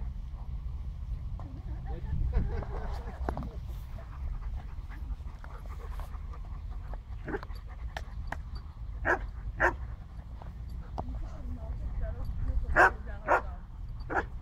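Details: Dogs at play, Barney with a Jack Russell and an Alabai, outdoors; short sharp yips and barks scattered through the second half, over low rumbling background noise and some human speech.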